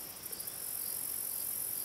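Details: By a creek in central Wisconsin in late summer, grasshoppers stridulate everywhere in a steady, high, hissing chorus that blankets the quiet background; grasshopper.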